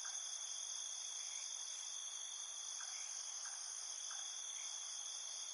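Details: Insects calling at night, a dense, unbroken high-pitched trilling from several layered bands, with soft brief chirps dotted through it.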